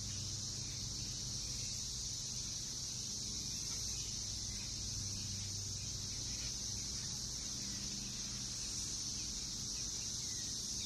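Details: Backyard chorus of Brood X periodical cicadas, Northern Kentucky, June 2021, emerging after seventeen years underground. An unbroken, high, hissing drone fills the recording with no pauses, over faint low-frequency hum.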